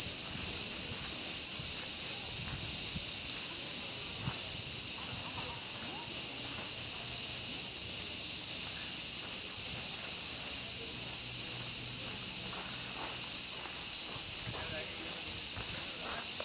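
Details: Cicadas in summer fill the air with a steady, high, hissing drone that never lets up.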